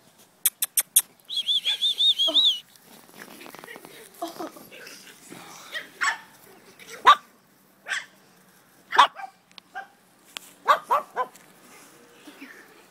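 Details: Griffon Bruxellois puppies, three at 8 weeks of age and one at 5 months, playing with older dogs in a backyard: quick sharp yaps, a wavering high whine, then scattered short barks, with people talking.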